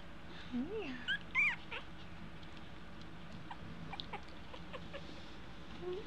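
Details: Two-week-old American Eskimo Dog puppies learning to walk, giving high, rising squeaky whimpers in a quick burst early on, then fainter yips, with a woman's soft coaxing voice in a small indoor room.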